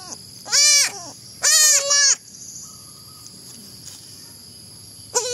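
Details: Baby goat kid bleating in two loud, high, wavering cries with rich stacked harmonics, the second split into two quick pulses, then a short final cry starting at the end; steady high-pitched hiss in the background.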